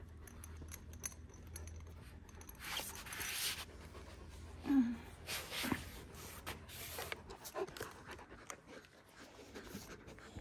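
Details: Kangal dogs, one year old, in Alanya, Antalya, Turkey, on 24 September 2024: breathy, rushing bursts of panting come and go, with a brief squeaky whine near the middle and faint speech in the background.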